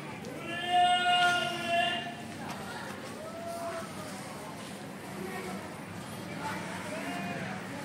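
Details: Street cats with kittens in India after drinking cow milk, mother cat angry with the kittens: two loud, drawn-out harmonic meows in the first two seconds, then softer, shorter mews, with Hindi talk and outdoor background noise.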